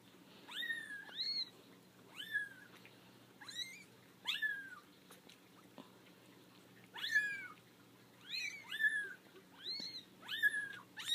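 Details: Four-week-old kittens from a litter of five, out of their basket and protesting, giving bursts of shrill arched meows in clusters with short pauses between, several voices calling over one another against a quiet indoor background.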